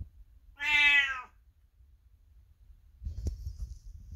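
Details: A 22-year-old house cat calls out from an adjoining room when the owner walks by; one clear, rich meow lasting under a second, followed by a soft knock and quiet room noise.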